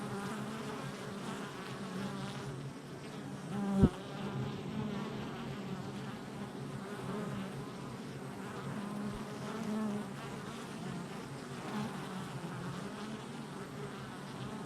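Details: Activity at a honey bee hive entrance, recorded July 22nd, 2024: a continuous low droning buzz of many bees, wavering pitches weaving together, with a sharp click near four seconds and a softer tap later.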